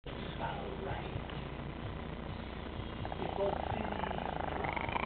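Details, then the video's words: Layla, a pet Chihuahua, growling: a low, continuous rumbling growl like an idling engine, with rapid, uneven pulses for about five seconds and a slight swell in loudness near the end. "Crazy chihuahua engine"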